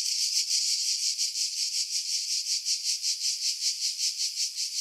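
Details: Cicadas in pine trees above Pefkos Bay, Skiros Island, Greece, in July 2018; a bright, high, sizzling buzz beating in regular rapid pulses, roughly three per second, with no other sounds.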